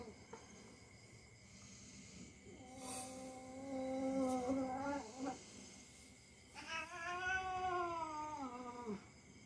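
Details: Pet cat caterwauling while play-fighting with the household's young dog; a long wavering yowl held for nearly three seconds, then a second arching, rising-then-falling wail, with light thumps of the scuffle around them.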